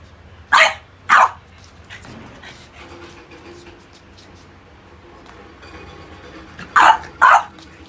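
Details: Pogi, a stubborn French Bulldog, barks while playing with rubber toys: two quick sharp barks at the start, faint murmuring and rustling in between, then another close pair of barks near seven seconds.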